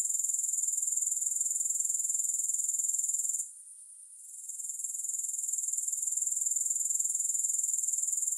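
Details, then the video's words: A soothing grasshopper chorus without music: a continuous shrill, high-pitched buzzing trill with fast regular pulsing. It drops out abruptly for about two seconds midway, then returns gradually to full strength. Nothing else is audible. "3 Hours of Grass Hopper Sounds"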